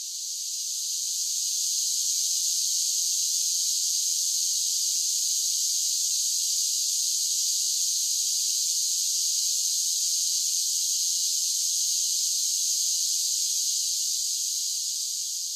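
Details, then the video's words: Cicadas in summer keep up a constant, sizzling high drone, fading in at the start and holding a flat, unchanging intensity for the rest of the stretch. "10 Hours of Cicada Sounds for Relaxation with Soothing Summer Nature Sounds"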